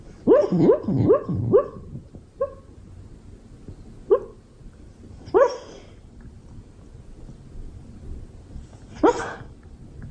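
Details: Honey the Beagle barks in a quick burst of four rapid yelping barks, then single sharp barks spaced a second or more apart with long gaps, ending on a loud, bright bark; no other sounds.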